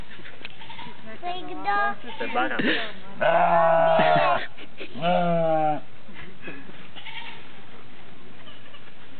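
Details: Goat in a zoo bleating: a series of quavering, nasal bleats, the loudest a drawn-out wavering cry of about a second, followed by a shorter one, with people talking nearby.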